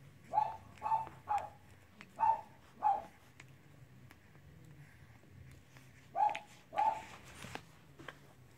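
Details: Cavalier King Charles Spaniel puppies at play give short, mid-pitched yips in two bursts: five quick calls over three seconds, a pause, then two more, with faint rustling and footsteps between.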